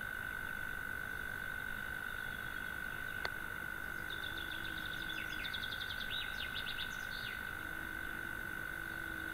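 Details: A European mole cricket sings in the evening from its burrow in a sandbank across a pond, giving a steady, unbroken low churr that holds one pitch throughout.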